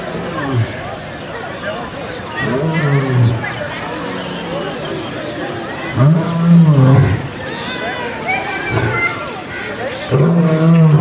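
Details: A zoo lion at the gate of his cage, described as angry, gives loud, deep, moaning roars about every three to four seconds, heard at close range with people chattering behind.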